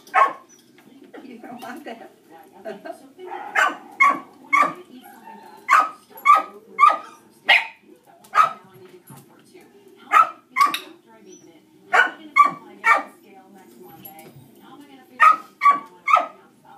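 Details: Distracting barking from dogs during a shaping training session with Dixie, a dog reactive to other dogs: sharp barks repeated in irregular bursts of two to four, with a low murmur of voices beneath.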